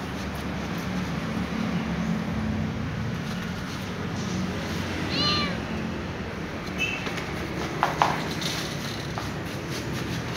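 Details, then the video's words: Ginger kitten rolling around on a glass shelf gives a short, faint meow midway, with a second softer cry a moment later, over a steady background hiss and a few light taps. "Ginger kitten meows rolling around on the glass shelf"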